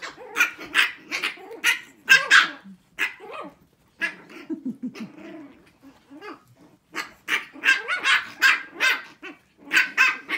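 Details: A litter of six-week-old Shih Tzu puppies holds a barking contest, firing rapid high-pitched yips in dense runs, pausing briefly midway with quieter whimpers and growls, then resuming a fast string of sharp barks.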